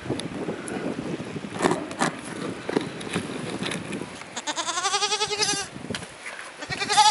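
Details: Tokara goat in falling snow, kept for eco weeding; after several seconds of crunching and rustling, one loud wavering bleat with a quivering, vibrato-like tremble lasts about a second, then more shuffling noise and the start of another bleat at the end.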